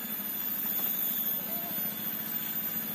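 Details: Steady engine idling with a low rhythmic rumble and faint vibration, and no animal voice.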